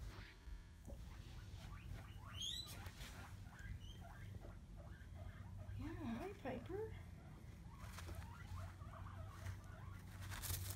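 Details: Piper, a skinny pig, snuggling down in her little fleece bed, gives soft, quiet squeaks and small rising and falling chirps throughout, with a clearer wavering squeak near the middle, over a low rumble and a woman's gentle talking.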